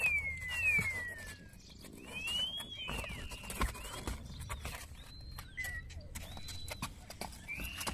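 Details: Stray puppy found abandoned in a box by the street, one of three puppies, with two more hiding in nearby bushes; high, thin squealing whines, some sliding downward, others held level, repeating every second or so over rustling and handling noise.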